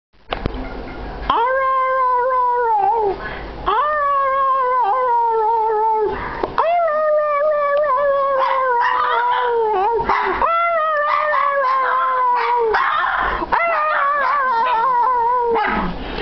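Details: Two pet Shih Tzus howling together indoors, long sustained tonal howls with rich harmonics, each held a few seconds and sliding slightly downward before breaking off, then starting again, overlapping voices throughout.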